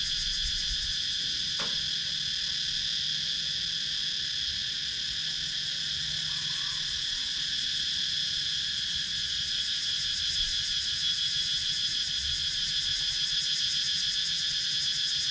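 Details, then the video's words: Wooded countryside in Sakon Nakhon, Thailand, filled with cicadas, filmed with a GoPro Hero 9. An unbroken, piercing insect whine stacks in bright high bands with quick regular pulsing, and a single faint click sounds early on. "Relaxing Sounds in Nature – Cicadas Sound"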